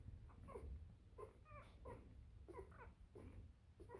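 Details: Three-day-old Bernese Mountain Dog puppies from a Makeda and Ivan litter, indoors, giving faint high squeaky whimpers and cries in short bursts about every half second to second, over a low steady background rumble.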